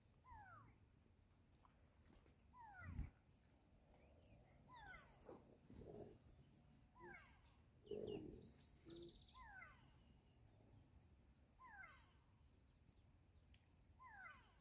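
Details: A pack of African wild dogs, settling down after a play session and watching for threats after being distracted by people and bird calls, gives high, bird-like twittering chirps in quick descending bursts, repeated every few seconds.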